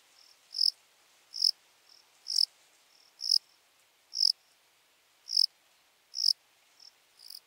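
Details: Lesser field-cricket, Melanogryllus desertus, in Breitenbrunn, Austria, 23 May 2021; high, shrill chirps repeated roughly once a second, about eight loud bursts with faint softer notes between them, otherwise quiet.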